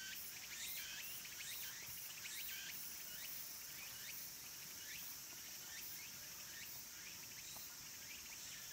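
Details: Cicadas near the end of summer at Kabusanji, a mountain temple in Takatsuki City, Japan, where minmin and tsukutsukuboshi cicadas sing: a steady high shrill drone under repeated short rising chirps, about one a second.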